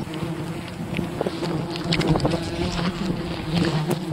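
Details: Swarm of wild bees droning as honey is gathered from their colony, a continuous low buzzing hum with scattered clicks and rustles from handling.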